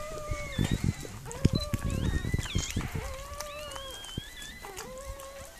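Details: A Miniature Pinscher named Mirella whining as she gives birth to puppies: a string of steady, sustained whines, some rising and falling, over scratching, rustling and low knocking sounds.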